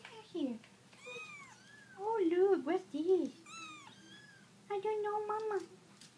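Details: Several kittens being shown to the Italian Greyhound Prada cry out with high, bent mews, some sliding upward, while a woman speaks loudly in between indoors.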